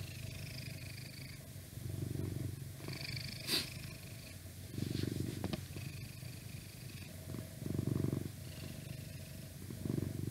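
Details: Purring of an old indoor house cat, a twelve-year-old male lying beside the recorder: low, steady rumbling phrases rising and falling with each breath, some quieter stretches between, and light background noise.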